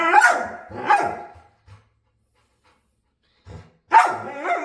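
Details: Playful dog begging to play, making weird noises: two harmonic, moaning grumbles in the first second and a half, a quiet pause, then another drawn-out, wavering vocal burst near the end.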